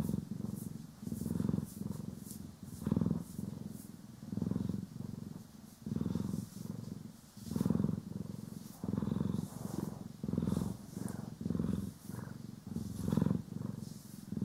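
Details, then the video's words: Continuous deep purr from house cats Poki and Kiwi as they are brushed and groomed, captured in stereo; rumbling pulses come in a fairly even cycle about every one and a half seconds, with gentle brushing swishes on top. "30 Min CAT ASMR | Purring, Grooming & Brushing"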